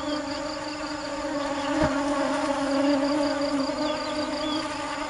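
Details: A constant buzzing drone from bees searching for nectar, a low, even hum rich in overtones that swells slightly midway, with soft repeated high ticks behind it.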